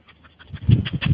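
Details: Sleeping dog, dreaming, making a quick series of soft, breathy huffing puffs that grow louder toward the end, like a muffled laugh.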